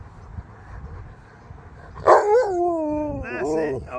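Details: Husky named Sherpa, woken while being groomed and trying to fight back, gives a loud, sudden, wavering talking howl that slides downward and then rises again in a short second burst, following quiet background and a man's speech.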